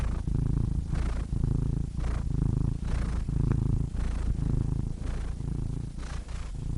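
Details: Domestic cat purring, a deep continuous rumble in rough pulses, rising and falling about once a second as the cat breathes in and out; no other sounds.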